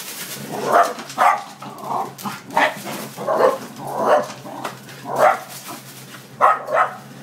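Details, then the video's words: Scottish terriers drive off a noisy delivery motorbike with a string of loud, chesty barks spaced about every half to one second, over a constant musical backing. "Scotties chase the Pizza Hut delivery motorbike away"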